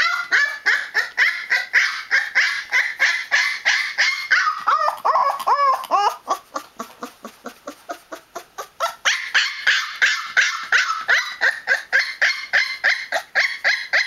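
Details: Newfoundland puppy, 20 days old, making a noisy protest: rapid, harmonic yelping cries about three per second, dipping lower and more drawn out around the middle before climbing back to sharp, steady yelps.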